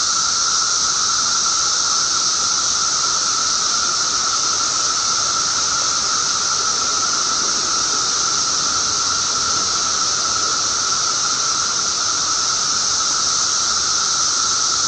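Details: Periodical cicadas (Magicicada) during a mass emergence, recorded May 19, 2011: a dense, unbroken chorus of many insects, a steady high hissing drone with a lower ringing tone beneath, constant throughout.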